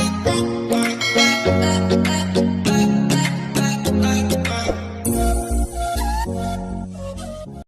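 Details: Upbeat music with singing, ukulele-like plucked strings and tinkling chimes, dense and steady, ending abruptly after about eight seconds. No animal voice can be made out.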